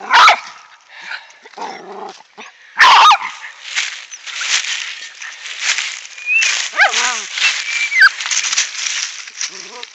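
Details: Two Rat Terriers digging an opossum out of its den in the woods behind a house one afternoon, recorded on a cell phone: sharp loud yelps, then a wavering high whine, over steady scratching and digging noise, with a man talking.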